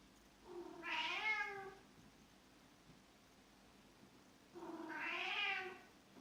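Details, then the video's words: Domestic cat, described as a cat shaman calling the water, gives two long wavering meows about four seconds apart, each rising and then sliding down, over a quiet indoor hum. "Cat shaman, calling the water"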